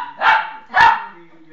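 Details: A nearly 10-year-old Lhasa Apso gives two short, harsh barks about half a second apart while fighting tenaciously.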